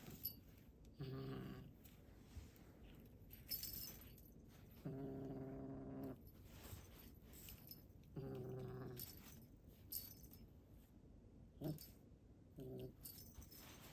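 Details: A rescue cat sounds angry or talkative, uttering four low, buzzy, harmonic growls of varying length, the longest over a second, separated by pauses with some faint higher rustling noises in between.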